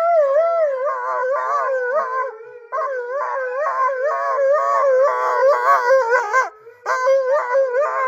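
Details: Attention-seeking husky Blue 'sings' in a continuous warbling howl, the pitch rolling up and down in quick wavy undulations, loud and sustained with one brief pause near the middle.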